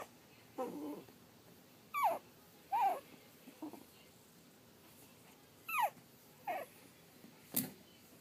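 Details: Three-and-a-half-week-old Pug/Dachshund mix puppies whimpering indoors: faint, brief falling whines spaced roughly a second apart, with soft snuffling between them and a sharp click near the end.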